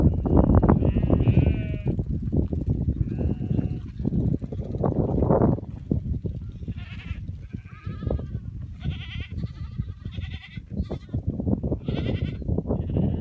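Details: Cashmere goats with sheep, free pastured on wild grass in the open wilderness of north-eastern Mongolia and herded by motorbike; several animals give overlapping, wavering, nasal bleats, thickest in the second half, over a steady low engine and wind rumble.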